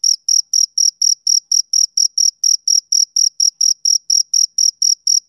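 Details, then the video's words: Shrill rhythmic chirps from a male cricket on a summer evening, about twenty short, bright pulses in a little over five seconds, each clean and separate, no other sounds. "Cricket Chirping Sound Effect"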